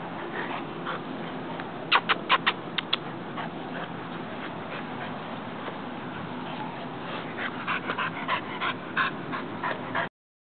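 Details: A 1.5-year-old female Pit Bull Terrier mix waiting for adoption at an animal shelter in Gainesville, Florida, gives bursts of short, sharp yips and barks, clustered early and again near the end, over constant kennel background noise.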